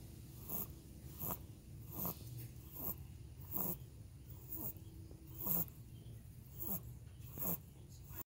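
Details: Sleeping cocker spaniel puppy snores in a regular rhythm, a breathy rasping pulse roughly every three-quarters of a second, low and hushed, with a faint steady hum in the background.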